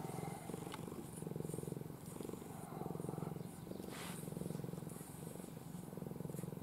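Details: A cuddly pet cat called Ai sleeps nestled in her owner's arms, purring deeply. The rhythmic rumble swells and eases in waves. Slight rustling sounds in the background.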